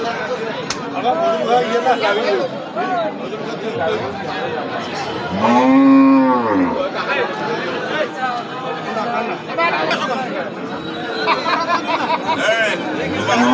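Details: A bull offered for sale gives one long, low moo with a rising-then-falling, arched tone near the middle, surrounded by steady chatter of several men's voices.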